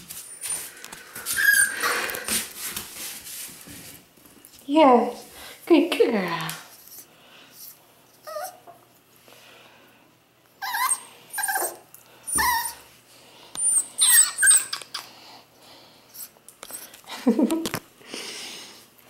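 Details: Female F2 Pomsky puppy with a solid black coat and a little white; soft whimpers and squeaky whines come in short bursts between a woman's praising speech indoors.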